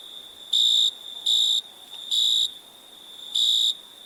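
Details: Cricket chirping in the night, four shrill high trilled pulses, the first three close together and the last after a longer pause, over a constant faint insect whine.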